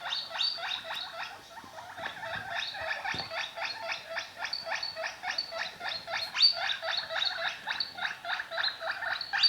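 A guinea pig gives a steady stream of rapid, squeaky chattering pulses.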